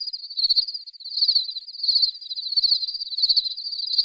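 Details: Insistent cricket chirping, a thin high trill of fast pulses pulsing in louder waves roughly every 0.6 seconds, steady throughout with a quiet background.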